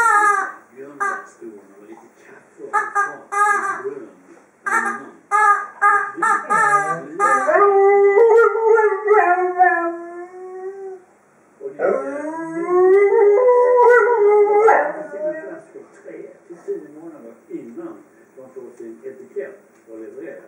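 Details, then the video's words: Dobermann Freja playing with her toy indoors, making funny noises: short yelps, then long wavering howls that rise and fall for several seconds each, with a man talking between them. "my dobermann Freja playing with her toy and making funny noises"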